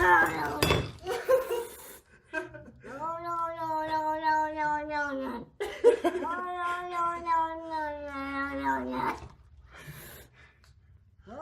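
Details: Cat in a box, from a funny cat compilation, giving long drawn-out yowls of several seconds each, first rising then slowly falling in pitch, two main cries, with a person talking briefly at the start and soft room noise.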